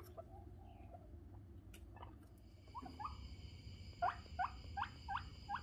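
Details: Guinea pig giving a run of short, squeaky chirps that repeat about three times a second, each rising then dipping, after softer scattered squeaks earlier; a faint steady high hum and low room rumble run underneath.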